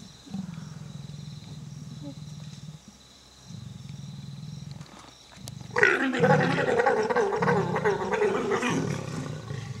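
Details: Wild male leopard mating with two females at Sabi Sabi Selati Lodge, 17 August 2007; low rasping pulses come in bursts for about six seconds, then a sudden loud, harsh snarling growl takes over.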